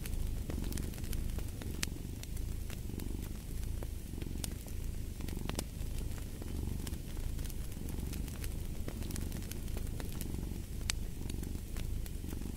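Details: Domestic cat purring: a steady low rumble with soft breathing swells, overlaid by sharp snaps and pops of a crackling fireplace throughout.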